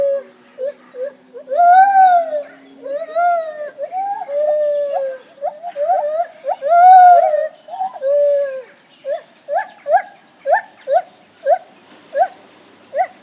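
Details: Lar gibbons calling with clear hooting notes. Some are long, wavering and upswept; they give way to a quickening run of short rising hoots, repeated about every half second near the end, over faint background hiss.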